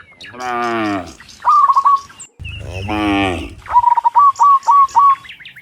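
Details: Afternoon, dozens of cows returning from the fields to the pen; two moos of about a second each, one lower and rumbling, interleaved with a bird's fast repeated chirp phrases.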